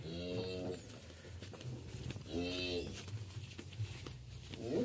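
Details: Sacrificial Qurban cattle, loaded from a farmer's pen for shipment to Jakarta, low twice with short, rich, buzzy moos about two seconds apart, amid engine drone, clanking and voices, with another call starting at the end.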